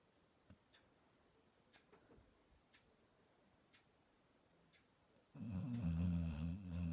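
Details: A female English Springer Spaniel, asleep on her owner's bed, gives a loud, low, rattling snore after a quiet stretch of faint ticks.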